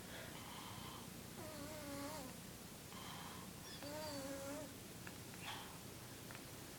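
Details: Thunder, an 11-year-old Persian cat, snoring indoors in a small room. Soft, breathy rasps come in a loose rhythm, about one per second. Several carry a thin whistled nasal tone that wavers slightly before fading.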